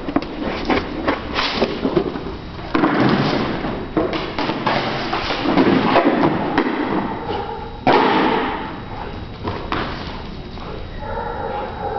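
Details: Repeated indoor thumps and thuds echo through a large room, with brief speech and faint music toward the end.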